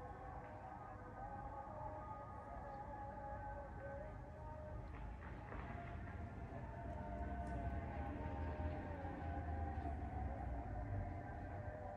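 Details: Steady low rumble of passing vehicles with a drawn-out, siren-like tonal drone above it, with no animal voices.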